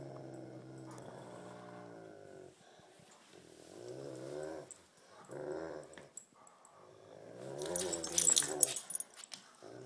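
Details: Tug of war between a Great Pyrenees and a Tibetan Mastiff: bursts of throaty, wavering growls in several phrases separated by short gaps, ending with a loud rattling scuffle.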